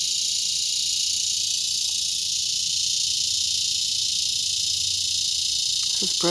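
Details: Cicada chorus in a mulberry tree just before sunset at Broken Arrow, Oklahoma, August 2020: a steady, dense high-pitched buzzing drone filling the whole clip, with a man speaking briefly near the end.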